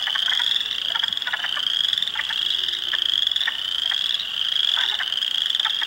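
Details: Hundreds of spring frogs calling in a swamp at Heartland Forest, Ontario, on April 2, 2022, including Spring Peepers, Wood Frogs and Eastern Chorus Frogs; a dense band of high piping peeps overlaid by short clucking croaks pulsing throughout.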